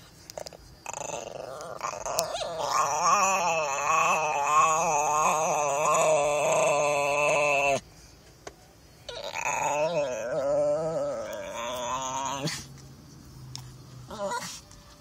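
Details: Diego, a Chihuahua described as mean, growling steadily indoors: a long, throaty, trembling growl with pulsing, wavering tone, a brief pause, then a second growl of similar quality.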